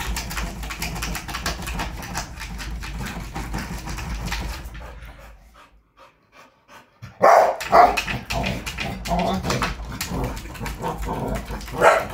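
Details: A Rottweiler barks in deep, forceful bursts during attack training, with a brief quiet gap midway.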